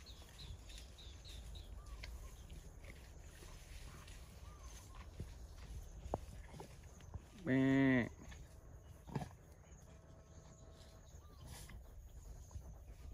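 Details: Cattle at mating time, with cows eating placenta: one short, loud, richly harmonic moo rises near the eighth second, lasting under a second, over a quiet rural background with faint rustling and scattered soft knocks.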